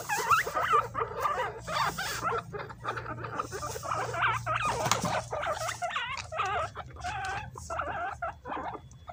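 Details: Pet guinea pigs fighting over bananas: a group utters many short, bent, whining squeaks in close succession, some overlapping, with brief pauses, above constant rustling and munching sounds.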